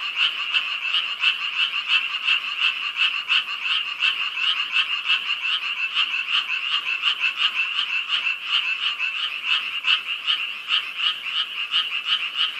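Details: A dense night chorus of frogs, many voices blending into a steady, rapid, pulsing trill, heard all night from a large pond and lotus-filled yard at Yangdong Village, Gyeongju, South Korea.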